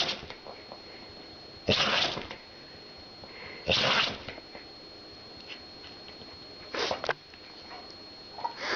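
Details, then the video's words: Pet dog that loves to sneeze, sneezing indoors: short broadband bursts near 1.7, 3.8 and 6.8 seconds, the last a quick double sneeze, over a steady high electrical hum in a quiet room. "Собака любит чихать"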